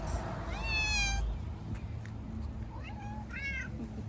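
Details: Hungry stray tabby and ginger street cats are being fed. One long rising-then-falling meow is followed by two shorter, quicker meows, over a low background rumble.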